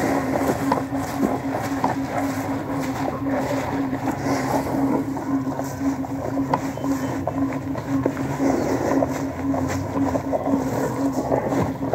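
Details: Steady engine drone with a constant hum and broadband rumble, like a motorboat or vehicle, with no animal calls. Wind noise runs underneath throughout.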